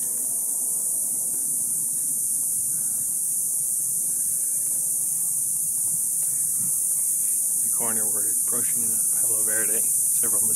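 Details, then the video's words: A chorus of cicadas in a Palo Verde tree on a hot summer night just after sunset. Their unbroken, high, sizzling buzz holds steady throughout, and a man's voice speaks briefly near the end. "Sounds of Cicadas"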